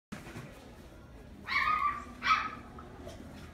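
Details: Chihuahua at a pet shop in Omihachiman gives two short, high-pitched yapping barks about a second apart over a low background hum.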